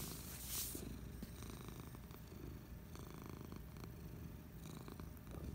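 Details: Resting on a couch on a Friday afternoon, Patches the cat gives a constant, deep, buzzing purr. A quick rustle sounds near the start, then the rumble continues undisturbed.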